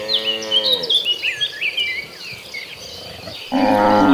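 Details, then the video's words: Tame cattle from a very large herd being herded: a drawn-out harmonic moo opens, then chirping birds, and a second moo starts near the end. "the Sound of Mooing Cattle"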